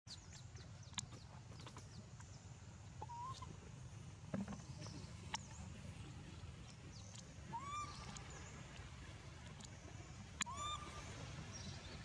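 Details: Baby monkey named Leo, scared after falling into water without its mother, giving short cries that rise then level off into a whistle-like tone, heard three times over twelve seconds among sharp clicks and a steady low rumble.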